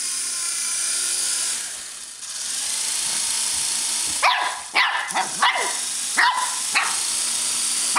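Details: Shih Tzu puppy at play with a remote-control helicopter: after several seconds of the toy's loud droning whir, a cluster of short, excited barks breaks out, coming irregularly over the continuing motor noise.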